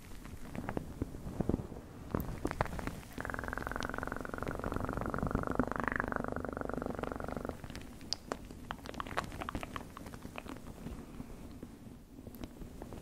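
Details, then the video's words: Low purring from a cat under a steady background hum, with a clear, sustained buzzing stretch of about four seconds in the middle and light ticking clicks before and after. "1 Hour Of Best PURRING sounds"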